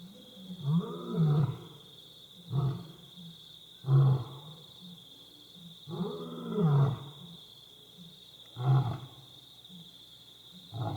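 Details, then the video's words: At night outside Bilimungwe Bushcamp, two visiting lionesses give a series of deep, throbbing grunts, short heavy bursts repeated every one to two seconds, with a constant shrill insect hum running underneath throughout. "Sounds of Lions Roaring"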